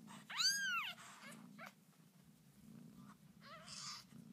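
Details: One loud, arched mew from Lucy's newborn kittens, climbing then sliding down, followed by a few faint, shorter squeaks over a constant low indoor hum.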